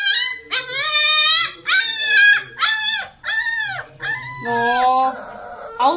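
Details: Puppy barking indoors in a small room, giving a run of about six high, tonal, arching yelps that rise then fall, spaced under a second apart. The last call is longer and flatter, with faint human voices in the background.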